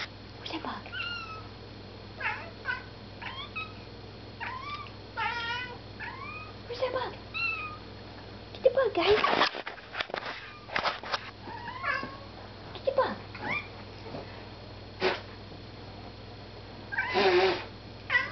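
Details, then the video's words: House cat watching a moth, giving a run of quick chirping chatters that bend up and down in pitch, repeated in clusters, with loud clattering and a person's voice in the room. "Cat sees moth"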